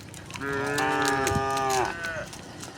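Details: One of dozens of tame cows walking happily down a quiet rural road gives a single long, full moo of about a second and a half, trailing off in a downward slide, over soft hoof and rustling noise.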